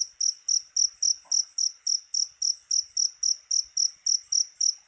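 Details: Cricket sound used against rats: sharp high-pitched chirps in a regular train, roughly three and a half each second, with a short low knock in the background.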